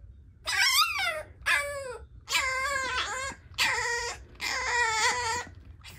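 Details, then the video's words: French bulldog puppy whimpering, asking to be taken out: five strained, wavering harmonic whines, each about a second long, some sliding down in pitch, separated by short pauses, indoors. "Frenchie Puppy Asks Pet Parent to Take Him Out"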